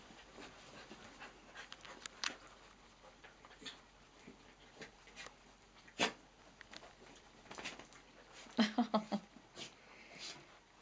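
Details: Playing indoors at a birthday romp, four pet dogs (two miniature dachshunds, a brown cocker, a blue roan cocker) make sporadic taps and scuffles, then a short run of low, harmonic whimpering growls around two-thirds through, with a person calling a dog's name.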